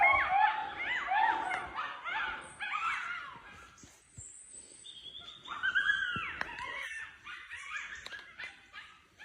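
Several wolves give overlapping wavering howls and yips, sliding up and down in pitch.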